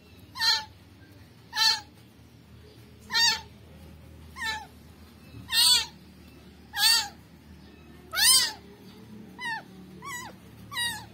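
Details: A rescued kitten cries repeatedly: about ten sharp, high, wavering meows at roughly one-second intervals, the last few shorter and bending downward, with faint low rumble beneath.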